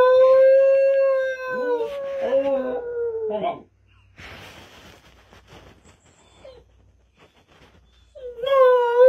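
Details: Dog giving a long drawn-out howl that breaks into wavering yips, followed by a quiet gap with faint rustling, then another steady howl starting near the end.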